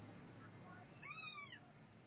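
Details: Setty the cat lets out a clear, drawn-out meow arching up then down over about half a second, with a faint low hum and a quiet room behind it.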